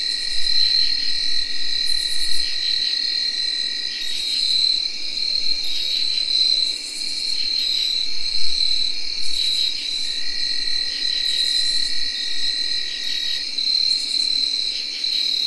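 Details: Tree crickets whirring steadily through an October night in 2021, joined by shrill pulsing field cricket chirps and harsh katydid bursts of about half a second repeating every two seconds or so.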